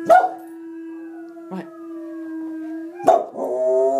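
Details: A 4-year-old Soft Coated Wheaten Terrier howls along with wolf sounds: a loud, sustained, steady-pitched howl held for about three seconds, broken by short yips at the start and end, followed by a richer, layered howl.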